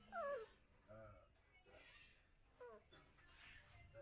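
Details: Whimpering from American Bully pups: one clear wavering whine that falls in pitch opens the recording, followed by softer squeaks, faint human speech and low background hum.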